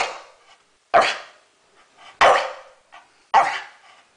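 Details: Staffordshire Bull Terrier named Deeogee giving three short, sharp barks about a second apart after the command to speak, each bark a broad burst with a fading tail, with quiet whines or breaths between them.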